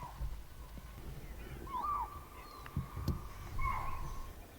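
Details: Spotted deer alarm calls from a distance near the forest edge, a warning that a tiger could be close. Two short, sharp, shrill barks sound about two seconds apart over a steady high tone and low rumbling background.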